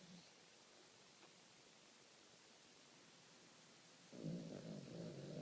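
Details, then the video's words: A dog's snore: after about four seconds of near silence, a rough, low, sustained breath begins and continues to the end. "Snoring dog"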